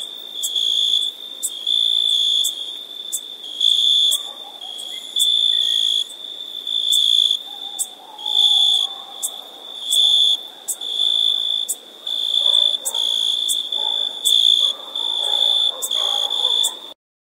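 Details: Summer crickets give a shrill, steady-pitched chirping in repeated bursts of about a second, separated by short pauses. Faint lower warbling tones sit quietly beneath.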